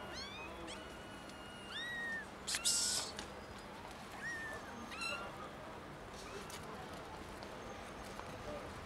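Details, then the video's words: Three young kittens found in someone's garden, meowing loudly; several rising-then-falling high meows come in short bursts, spaced a second or two apart, with a brief bright scratchy noise in the middle and a steady hiss behind them. "3 New Kittens Meow Loudly"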